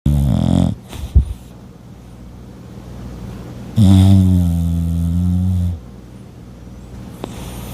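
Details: Sleeping French bulldog snoring indoors: deep, rumbling, buzzy snores. A short one opens the recording, and a long, loud drawn-out snore lasts about two seconds midway, with quiet breathing noise between.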